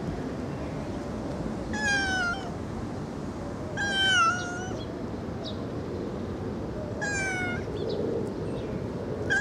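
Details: Loud kitten meows, three clear harmonic calls spaced roughly two to three seconds apart, each short and slightly arching then falling, with faint clicks and constant low background noise.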